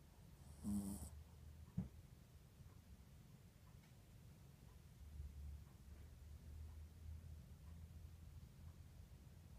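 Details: Yorkipoo puppy snoring while napping in a lap indoors: soft low rumbling breaths repeating steadily, with one louder snort near the start and a brief click, otherwise quiet.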